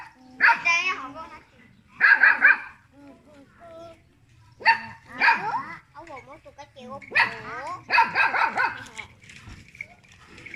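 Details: Little pet dog barking at people: short loud barks in clusters, some rising yelps, interleaved with people speaking nearby.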